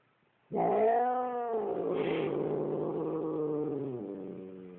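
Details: Domestic cat named Ernie gives a long, low, moaning growl that holds steady for several seconds, then drops, upset and warning its owner who is just standing nearby.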